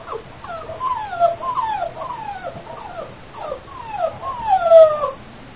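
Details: Female Boxer puppy from champion lines whimpering: a series of thin, high descending whines, each sliding downward, repeated in quick runs over several seconds with brief pauses, in a quiet setting.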